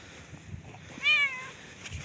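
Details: Cat sheltering at a bus stop in cold weather gives a single drawn-out meow lasting about half a second, rising slightly and then sliding down, over a quiet low rumble of outdoor background noise.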